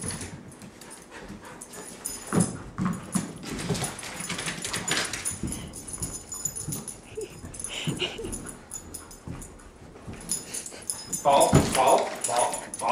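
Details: Kiva, a three-year-old pure white female husky, excited while catching several tennis balls at once; rough whines and yips across the clip, ending in a cluster of higher, harmonic whimpers, with a person's voice nearby.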